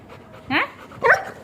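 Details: Labrador puppy said to be afraid of being photographed gives two short, harmonic yelping barks about half a second apart, the first sliding upward in pitch, the second sharper and brighter, against a quiet room with faint voices.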